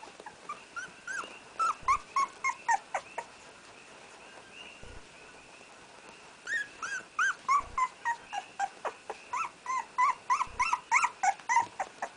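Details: First-born newborn puppy whimpering as he attempts his first steps: bursts of high, squeaky, rising yelps repeated several times a second, a pause, then another long series, while a person gently coaxes and reassures him.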